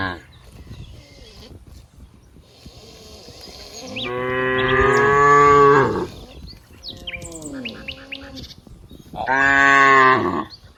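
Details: Cows playing in green rice fields, dozens together: two long, loud moos about five seconds apart, each nearly two seconds, with quieter mooing and bird chirps in between.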